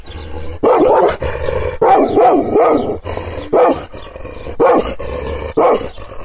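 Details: Kangal shepherd dog, provoked by hand movements, gives furious barks about once a second. Each bark is harsh and throaty with a wavering tone, and a low rumbling hum sits under the gaps.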